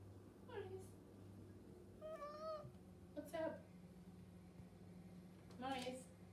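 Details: Male house cat meowing at a kitchen cabinet because it is breakfast time; several drawn-out, slightly rising meows spaced a second or so apart in a quiet indoor room with a steady low hum.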